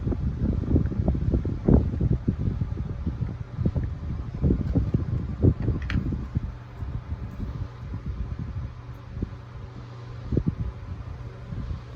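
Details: Steady low rumble of wind buffeting the microphone, with rustling leaves and scattered soft knocks in a rural garden; no animal voice stands out.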